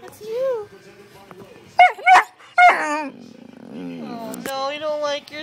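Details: A female Great Dane reacting to seeing herself on camera: a few loud, sharp barks around the middle, with a person talking before and after.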